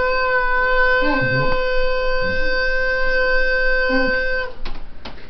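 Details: A loud, steady horn-like tone blown through a tube in a small room holds for about four seconds, with voices talking underneath and a few knocks at the end.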